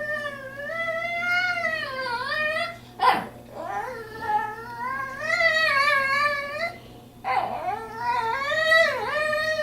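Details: Indoors while visiting a friend, pet dog Bandit 'talks' that she wants to go home. Long, wavering whines rise and fall like speech, broken by short sharp yips and gasps, one drawn-out moan after another.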